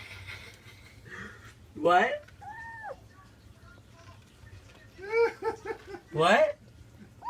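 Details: A pet cat indoors gives a clear arched meow that rises and then falls, followed by shorter wavering mews. People talk and exclaim around it.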